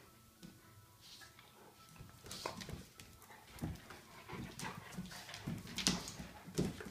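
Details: A 12-week-old 15 lb Golden Retriever puppy and a 2-year-old 80 lb DDR Shepherd/Tamaskan mix wrestling in play; scattered short yelps and whines rise toward the end amid scuffling, with a faint steady hum in the background.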